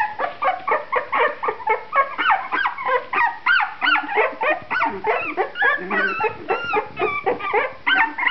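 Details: A litter of puppies 2.5 weeks old, eyes newly open, give a busy chorus of high whining and squeaky whimpers, many overlapping rising and falling tones packed closely together with no pauses.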